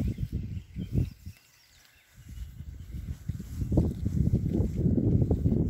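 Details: Berkshire pigs settling into a new paddock. Low, rough grunts come in quick bursts, pause briefly, then return as a denser, louder run of deep snuffling grunts outdoors.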